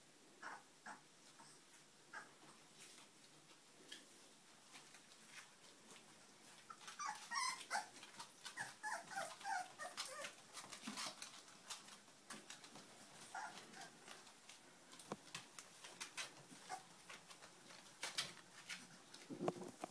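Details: Puppies whimpering and yipping indoors, with many short high squeaky cries in irregular bursts, busiest midway, over scratchy rustling and clicking noises.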